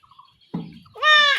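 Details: Village goat kid being castrated by hand in rural Bengal: a dull thump, then a sudden strained, wavering bleat that is cut off abruptly.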